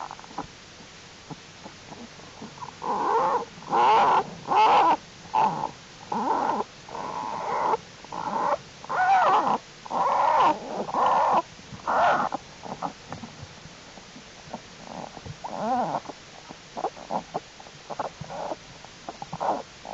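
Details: American black bear cubs in their winter den, active and crawling around during unusually warm late-January weather; a run of buzzy, pulsing calls in short bursts about a second long, repeated roughly once a second, then fading into softer broken pulses.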